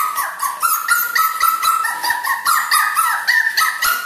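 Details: Miu, a puppy two months old, crying: a steady stream of high, nasal whines, each a short bent note, packed several per second with barely a pause, in a small room.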